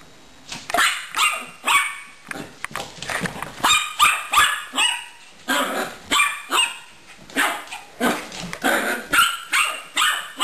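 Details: Gracie, a pet dog, barks while playing with Caramel the hamster: a long run of short, bright barks at about two or three per second, uneven in spacing, some with a growly edge.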